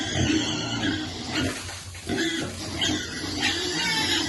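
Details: Baby piglet at feeding time, short low grunts repeating irregularly, with a brief quieter gap midway amid constant background clatter.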